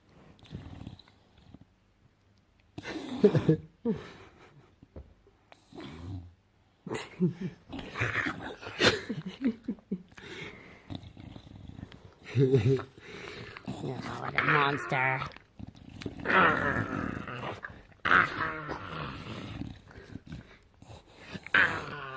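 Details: A Bulldog makes weird gremlin-like sounds: snorting grunts, wheezy squeals and throaty rumbles in irregular bursts, with a person talking to it in between.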